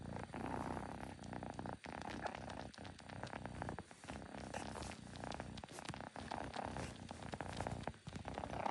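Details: Close, continuous purring from a kitten, a rough, throbbing rumble with fast regular pulses and a few brief pauses, dense and fairly loud throughout with no other clear sounds.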